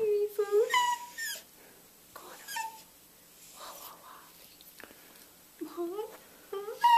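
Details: A food-begging yodel-woe from ConneryBeagle the beagle: brief rising and falling yelping moans in short bursts, separated by quiet stretches with faint talking, ending on a fresh upward wail.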